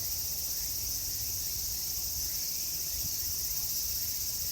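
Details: Summer cicada chorus at Meiji Jingu shrine in Japan, heard as an unbroken, shrill, hissing drone at high pitch, steady in loudness throughout, with low rumbling background noise.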